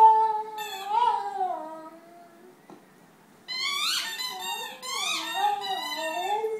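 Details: Lana, a Rhodesian Ridgeback, howls while playing inside: wavering, sliding tonal notes that dip and rise, a brief quiet gap, then higher, more strained howling with swooping pitch bends.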